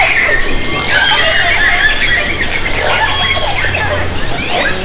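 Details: Dense overlapping orca calls captured by hydrophone in Haro Strait during summer 2010, squealing harmonic tones and short whistles crowded together above a constant low rumble.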